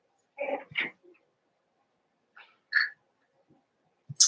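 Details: Cavalier King Charles Spaniel puppies, Daisy's six litter merged with Robin's two pups, eight playing together; a few short squeaky yelps in scattered bursts with long quiet gaps between.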